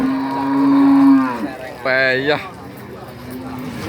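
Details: At the Nganjuk cattle market, Pasar Pahing, in East Java, a cow gives a long, flat, low moo lasting over a second, followed by a brief, harsher, higher-pitched bawl before the sound fades into crowd murmur.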